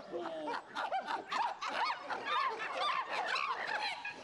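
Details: Captive chimpanzees at Arnhem Zoo at lunchtime feeding, calling with intense excitement and impatience as food arrives. Several animals overlap in a dense chorus of short, arched, squealing hoots, about two per second, with no pause.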